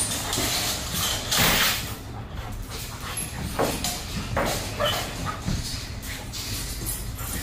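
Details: Bailey, a young female German Shepherd with aggression issues, reactive to other dogs, animals and vehicles, on day one of a two-week board and train; sharp broadband barks in irregular bursts over steady background noise.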